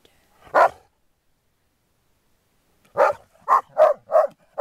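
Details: Groenendael dogs during resource-guarding play: one sharp bark, about two seconds of silence, then a fast run of five loud barks.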